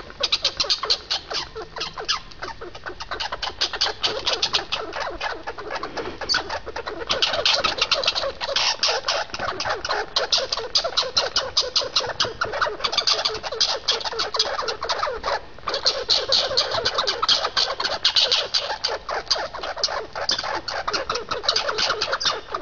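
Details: Squirrels fighting, giving a dense, rapid chattering of sharp pulses that runs almost unbroken for over twenty seconds, harsh and scratchy in tone, with only a brief pause near the middle.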